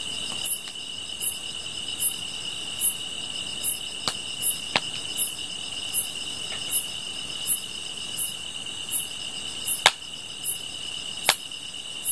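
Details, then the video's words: Insect song: a steady shrill trill with short high chirps repeated about forty times a minute, slightly irregular, punctuated by several sharp cracking snaps. "풀벌레 소리"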